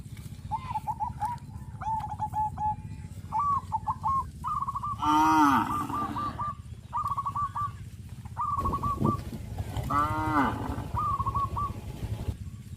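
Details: Cows being herded in village rice fields after the harvest on a traditional farm. Two deep, rising-falling moos come about five seconds apart, while short, repeated high chirps from birds continue throughout.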